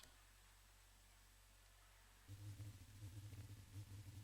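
A blue whale's D call: a deep, throbbing moan that shifts in pitch across a broad range.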